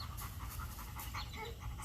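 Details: Zeke, a 5-month-old Labrador Retriever during a dog training session, panting in quick, soft, evenly repeated breaths, roughly four or five per second, low in level, with training commands such as sit and down spoken around it.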